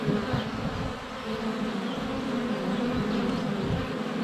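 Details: Swarm of honey bees circling a hive entrance in February sunshine, recorded with a GoPro Hero 7 Black inches away; thick, even buzzing with layered wingbeat tones and faint pulsing as individual bees pass.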